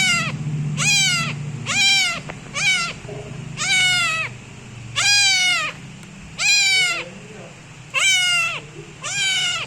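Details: Loud meowing from a new kitten kneading its owner; spaced, high, strained meows that arch and drop in pitch, some short and some drawn out, with gaps of one to two seconds and faint low background noise.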